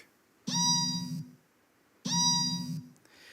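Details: Orca giving its normal call, played back in a talk on marine mammals copying other species: two drawn-out harmonic calls, each about three-quarters of a second, with a strong tonal upper band and a buzzy low component, separated by silence.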